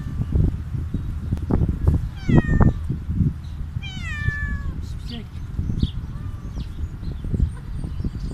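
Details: Stray cat begging loudly for food; two harmonic meows, each sliding downward, sounding about two seconds apart, with low background rumble and faint human voices.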